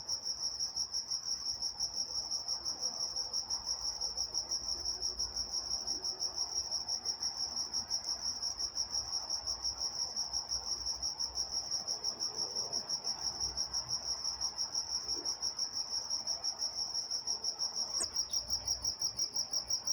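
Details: Night-time crickets in Walnut, California: a steady high chirping band pulsing about three times per second, with a fainter higher overtone and a brief soft click near the end; quiet low background hum.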